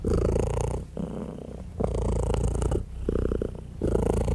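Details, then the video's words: Mother cat feeding baby kittens while resting, purring the whole time; a low, buzzing rumble in roughly one-second phases, alternating louder and slightly quieter with each breath. "ASMR Purring Mother Cat Nurses Tiny Baby Kittens"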